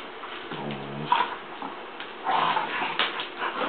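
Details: Hera, a newly adopted Mammutbull, plays wildly with Jager indoors: a low harmonic growl runs for half a second, then scattered scuffling bursts and a brief higher whine follow amid room noise.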